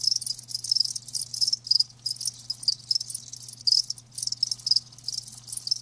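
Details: High trilling chirps from live crickets come in short bursts separated by brief gaps, several insects overlapping in a bright, rapid pulsing chorus over a faint low hum.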